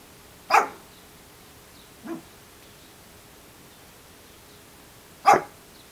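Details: Shih Tzu named Josh, a dog with an unusual bark who refuses the doggy door and wants the door opened, gives three short barks spaced a few seconds apart, the middle one softer, in a quiet room.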